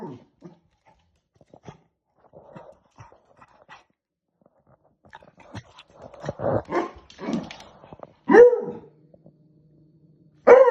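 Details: A Beagle puppy barks at a balloon, giving loud, harmonic barks with softer whines and yips between them.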